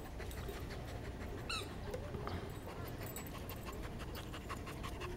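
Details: Border Collie at rest, breathing in rapid, regular pants; a brief high squeaky whistle-like sound cuts in near the start, with a constant low hum underneath.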